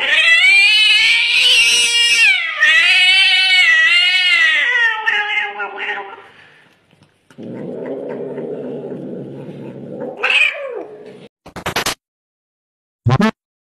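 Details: Cute kittens; long wavering, strongly tonal yowling cries rising and falling for about six seconds, then a rough noisy stretch and a few sharp clicks, with music around.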